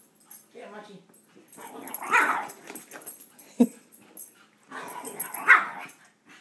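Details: Two Shih Tzu playing together, giving short yips and rough, growly barks in bursts near the second and fifth seconds, with a person talking over the play.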